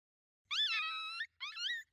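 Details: A pack of five coyotes closing in at night, seen through a thermal: a long wavering high howl followed by a shorter rising yip-howl, clean background.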